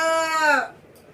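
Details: Rottweiler named Lucky barking because it wants affection; one drawn-out, tonal, whine-like bark that slides down in pitch over about half a second, then fades to quiet room tone.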